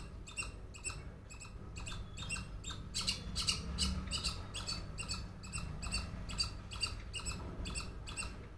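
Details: A noisy squirrel gives repeated scratchy barking notes, a little more than two per second, loudest in the middle, with a low rumbling background throughout.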